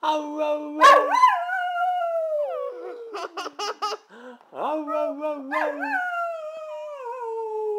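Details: Brindle Boxer dog singing: wavering drawn-out howls broken by a quick run of short choppy yips in the middle, then more sustained falling howls, with a person's voice faintly mixed in.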